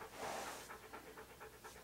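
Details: Siberian Husky named Key, posing in hats and clothing for a photoshoot, panting in quick rhythmic breaths, roughly four per second, over a steady breathy background.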